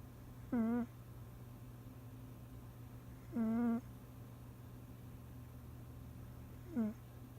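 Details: Domestic cat fast asleep and snoring: three wavering, whistle-like tonal snores, each under half a second, spaced about three seconds apart, over a steady low electrical hum.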